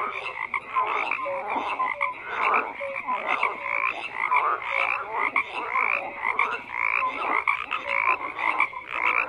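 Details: Many frogs croak together in a thick, continuous chorus, with rasping trills and short whistled notes overlapping and swelling in loudness about every second.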